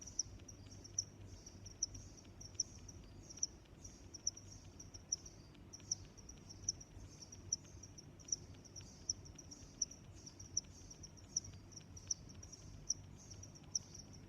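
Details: Cricket sounds from nature: a regular series of sharp, high chirps about every 0.8 seconds, a quieter trilling chorus between them, and muted low rumble behind.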